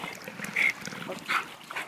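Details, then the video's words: American Bulldog named Bubba, excited by a swimming pool, gives two short, thin, high-pitched whines about three-quarters of a second apart over soft background noise. "American Bulldog, Bubba goes crazy for the pool!"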